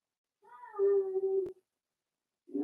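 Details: Four-week-old Cavalier King Charles Spaniel puppy from Daisy's litter, kept in an indoor puppy pen, gives a single drawn-out whine lasting about a second, held at a steady mid pitch with faint overtones, then a sharp click and the start of another cry.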